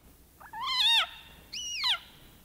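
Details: A leopard frog screams with its mouth open, giving two loud, cat-like screams that each waver upward and then slide down.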